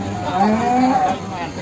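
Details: At the Sragen animal market in Indonesia, a jumbo Simmental bull gives a short, low, nasal moo lasting under a second, rising then levelling, over a background of crowd murmur and faint music.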